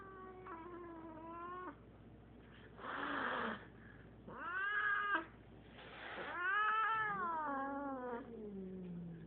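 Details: Eight-year-old female Siamese cat meeting a five-year-old male cat for the first time: long, moaning, harmonic-rich yowls that rise and fall, broken by breathy hissing bursts, with warbling, drawn-out howls continuing over a low background hum.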